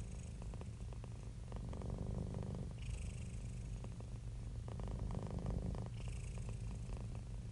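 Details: Domestic cat purring in a happy, relaxed state; a dense, deep rumble of rapid pulses, breath phases shifting roughly every three seconds, each shift accompanied by a short soft hiss.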